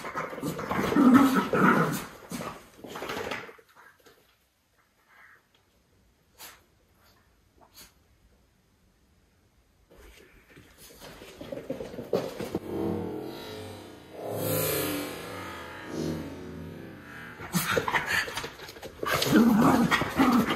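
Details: Two Miniature Schnauzer brothers indoors on Nov 14, 2021, freshly groomed with haircuts, trimmed nails and brushed teeth, sniffing each other over. Short tonal whimpers and grumbles come at the start and end, with rustling, scuffling and a quiet middle stretch.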